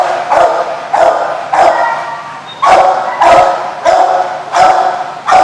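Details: Dog barking loudly, recorded 7/3/15: sharp, loud barks repeated roughly every half second to second, each a short harsh burst with a slight echo, steady low hum in the background.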